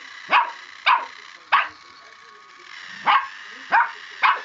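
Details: Puppy Mavis barks at a Scholl pedicure roller, upset by it: six high, sharp yaps, three in quick succession, a pause of about a second and a half, then three more, with faint background hum.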